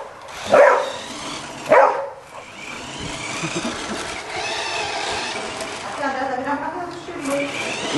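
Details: Fabio, a pet Golden Retriever, barking at a Spiderman toy: two loud single barks about a second apart, followed by several seconds of talking voices and softer indoor sounds.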